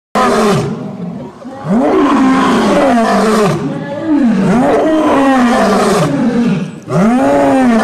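A lion gives deep, rasping roars that rise and fall, repeated in quick succession.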